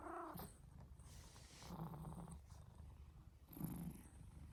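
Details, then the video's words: Snoring male house cat: a brief tonal squeak opens, then low rumbling breaths rise and fall in two or three slow waves, otherwise quiet indoors. "Snoring Cat"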